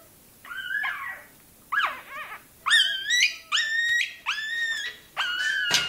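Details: Toy terrier puppy crying while its tail is docked: six high, squealing whimpers, each bending up then sliding down, coming in short bursts with brief silent gaps, the last ones longer and steadier.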